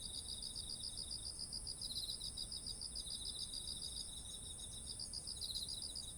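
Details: Autumn insects calling beside ripe, heavy-headed rice fields: rapid pulsed chirps around 4–5k repeat steadily, layered over a continuous high shrill band and a lower trilling voice, with faint low rumble beneath; recorded on a ZOOM H1essential.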